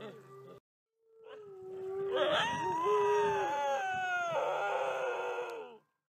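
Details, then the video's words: A captive red wolf at a wolf conservation centre in South Salem, New York, gives a long, drawn-out howl that rises, holds steady, then slowly falls away. "Red Wolf's Song"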